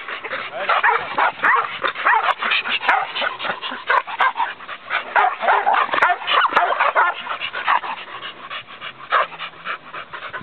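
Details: Australian Cattle Dog, a herding breed, barking hard and fast: sharp, overlapping yaps pile up at roughly three per second in an irregular, excited stream that barely pauses through the whole stretch.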